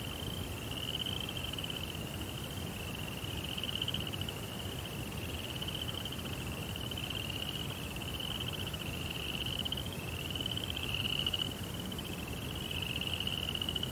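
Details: Crickets in a nighttime Japanese rock garden with a koi pond keep up steady, high trilled chirps in overlapping bursts of about a second, over a gentle low-pitched background rumble.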